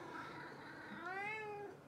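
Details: A Maine Coon cat named Hanny, recorded in 2018, gives a single clear meow that rises slightly, then holds steady.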